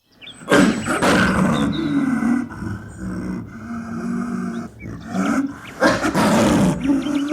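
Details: Snow leopard (irbis) in the wild, giving loud, hoarse, drawn-out moaning calls. Two strong rasping bursts come near the start and the end, with lower, wavering, rougher calling between them.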